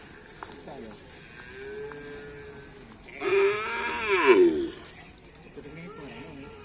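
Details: Cattle at a karapan sapi (bull racing) training session on a field at Asemanis, in preparation for a race event. A loud, harmonically rich moo lasts just over a second mid-clip, preceded by fainter drawn-out tonal calls over a low background hum.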